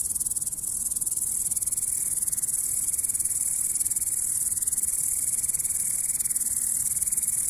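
A grasshopper makes a steady, high, rapidly pulsed buzz that continues without pause.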